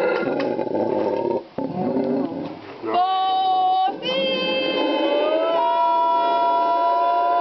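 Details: Howl of a howler monkey recorded February 2009 in Ambue Ari park, Inti Wara Yassi community, Santa Cruz, Bolivia; rough, broken roaring first, then sustained wailing tones that rise and waver after a short pause.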